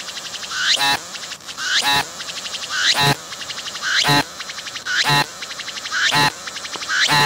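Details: A close-range singing cicada on a tree, moving its abdomen as it sings. Steady cycles of fast ticking rise into a whistled upsweep and end in a loud buzzy blast, about one cycle per second.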